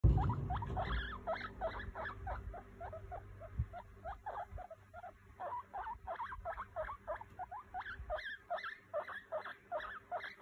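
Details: Pet guinea pig wheeking: a rapid run of short, high, squeaky whistles repeated several times a second, rising and falling in uneven bursts, with some low handling noise at the start.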